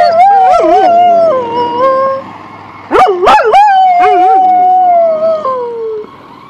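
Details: Pet dog howling along with a passing ambulance siren: long wavering howls that slide up and down, break off, then resume in a second rising and falling run that fades out toward the end.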